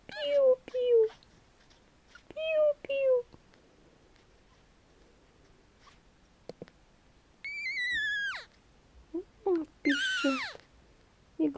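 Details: Four-day-old Pomeranian puppies, two males and a female, squeaking now and then indoors near their mother. They give thin, high, falling squeaks in short bursts of two or three, then longer wavering whines, with quiet gaps and soft speech between.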